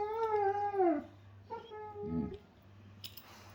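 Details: German Shepherds making funny noises during playtime: a drawn-out falling whine, then a shorter level whine and a small bump, over a constant low indoor hum.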